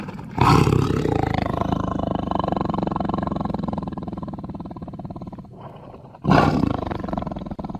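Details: Tiger roaring in a sustained, rumbling, pulsed bout that slowly fades, then surges again with a sudden loud rasping outburst near the end.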